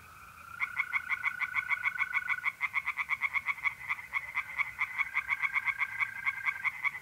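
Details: Tree frogs singing by a pond at night in mid-April in north-eastern Italy: rapid, evenly pulsed croaking notes in fast series, several frogs overlapping, with a steady high trill of mole crickets running underneath.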